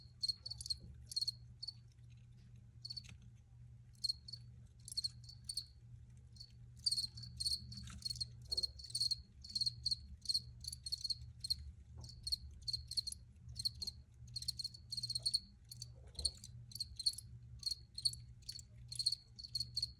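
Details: Crickets, recorded for relaxation, trilling in high pulsed chirps that start sparse and become a steady, rapid series of several per second, over a low background hum.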